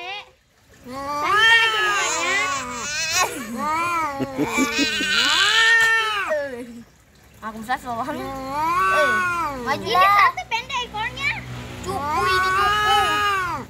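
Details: Fighting domestic cats trading dense, overlapping caterwauls, with many arched, warbling howls in long bursts, a short lull around seven seconds, then more rising and falling yowls.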